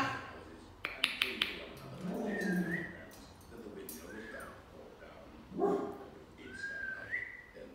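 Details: A Jack Russell terrier gives a few short, sharp barks while an African grey parrot whistles, rising and falling, trying to stop the barking, with a person's voice.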